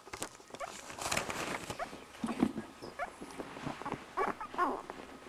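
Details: Week-old Border Collie pups at feeding time produce a few thin rising squeals and short whimpers, spaced irregularly, over busy rustling and suckling sounds.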